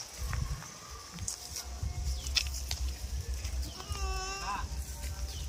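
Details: Goat on a village goat farm giving one quavering, wavering bleat near the end. Short clicks and knocks come earlier, over a constant low rumble and a high steady hiss.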